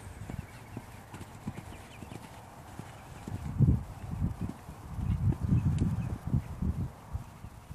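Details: Hooves of a Dutch Warmblood horse for sale: faint, uneven footfalls at first, building after about three seconds into a louder cluster of deep, irregular clip-clop beats.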